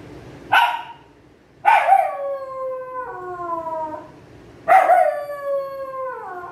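A Pomeranian gives high, drawn-out howls that slide gently downward, each lasting a couple of seconds.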